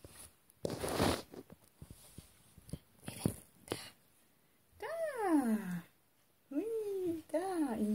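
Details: Maine Coon cat named Peppe from the Shedoros cattery, indoors; a human voice and soft knocks first, then a run of drawn-out, falling, harmonic meows, one long and two shorter, each sliding downward.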